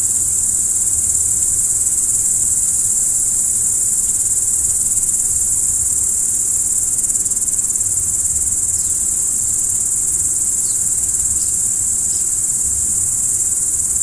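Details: Night-time crickets keep up a continuous, even, high shrill of chirping from start to finish, with a handful of faint short higher ticks late on and a quiet low background hum.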